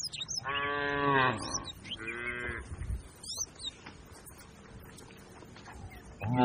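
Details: Cattle in a grazing herd on open green grassland: a drawn-out moo, then a shorter second one, and a third beginning at the end, while birds chirp high above.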